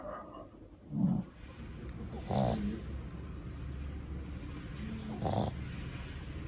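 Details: Female Shih Tzu puppy, 2 to 5 months old, snoring loudly while asleep: deep, rumbling snores with a breathy hiss, at about one, two and a half and five seconds, over a steady low room hum.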